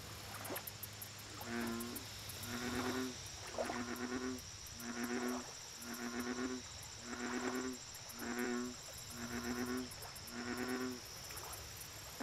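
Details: American bullfrog calling at a lake: a steady series of nine deep, resonant harmonic notes, each lasting about half a second and repeated roughly once per second, over a constant high insect buzz and pulsing trills.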